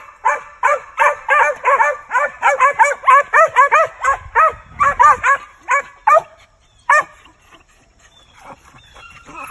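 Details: Lightly started male Original Mountain Cur squirrel dog barking during hunting training with other dogs: a rapid run of ringing, arched barks, closely spaced at first, then thinning out with gaps, and faint rustling.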